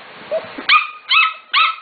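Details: Corgi puppies aged 5-6 weeks, three litters together in the morning: three sharp high yips about every 0.4 seconds, with faint background noise before.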